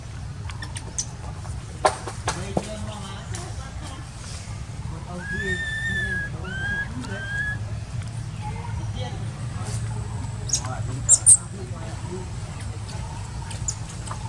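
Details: Baby wild monkey in Cambodia crying for its mother: a short run of clear, arched, tonal wails, several in quick succession mid-clip, over steady low rumble with scattered clicks and knocks.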